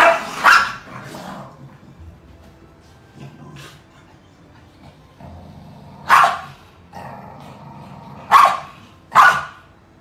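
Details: Two Corgis, a black one and a yellow one, in a sibling rivalry fight that starts when the black Corgi drops his stuffed toy on the sleeping yellow Corgi: sharp, short barks at irregular intervals with quieter grumbling between them.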